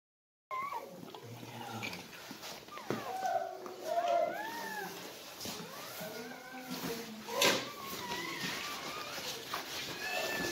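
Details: Siberian Husky whelping indoors as puppies are born: thin, high squeals that rise and fall, several short arched cries in quick succession, with a person speaking softly and some rustling.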